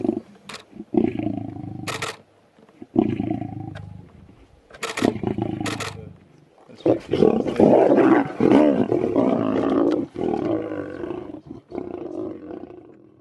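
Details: Large male lion in South Africa roaring: long, low moaning roars opening the sequence, followed by a dense run of powerful, rasping grunts that slowly fade, with little else heard.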